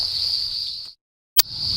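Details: Dense chorus of Eastern Sedge Frogs, high shrill trilling blending into one continuous wall, at Karawatha Forest, Brisbane, in spring after storms on a drier day; after a brief silence an occasional sharp pop of a striped marsh frog.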